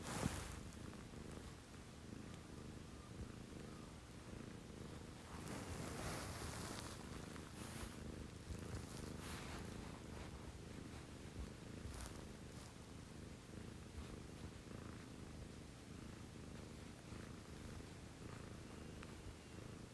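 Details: Domestic cat purring at 6 a.m. in a home shared by a female Scottish Fold and a female Munchkin: a steady low rumbling drone with faint pulsing, broken by several sharp broadband rustles and brushing noises.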